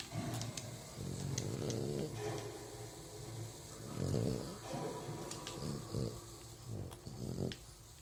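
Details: Sleeping French Bulldog snoring and rubbing its muzzle in its sleep: rough, low, rumbling snores in uneven bursts about every one to two seconds, with a steady background hiss and faint clicks.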